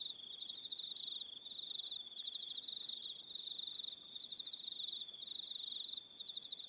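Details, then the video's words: Evening chorus of crickets on Aroha Island in New Zealand, a steady shrill pulsing trill carried by many insects at once, with higher overlapping trills starting and stopping every second or so. "Evening Sound of Crickets"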